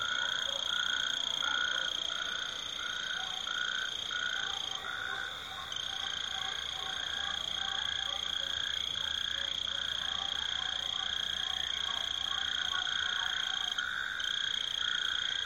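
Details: Frogs call in a dense mating chorus at the end of the winter rains in high temperatures: short, pulsed croaks about three or four a second in a steady rhythm, over a continuous high, thin whine.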